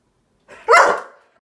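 A Sheepadoodle lets out one loud, abrupt bark that starts with a soft lead-in and fades within half a second. It is a guarding bark, the dog sounding off as a watchdog in a small room.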